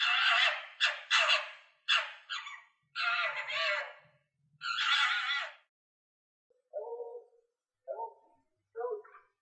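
A fox gives harsh, raspy screams, then a few shorter, lower yapping barks.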